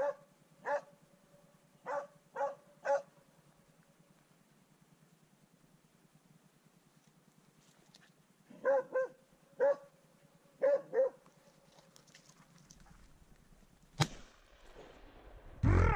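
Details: Swix the dog bays on his first encounter with a wild boar, giving bursts of sharp repeated barks, a quiet pause, then more barks, ending with a loud click and rumbling handling noise.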